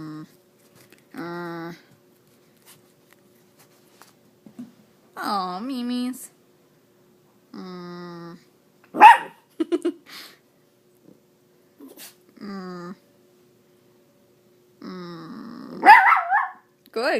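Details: Female miniature Dachshund 'speaking' and 'singing' during a game of fetch: drawn-out moaning whines and grumbles with a few short yaps, separated by pauses, with a woman talking softly between them.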